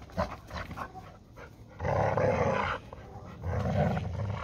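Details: Labrador Retriever and Hungarian Vizsla, Málna and Ede, battling for a ball; a harsh, noisy growl roughly one second long, then a second rasping rumble near the end, with scuffling throughout.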